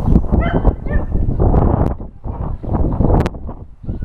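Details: Several dogs at an adoption center barking loudly in front of a TV crew; dense, overlapping harsh barks and yelps in rapid bursts, with a brief high whine.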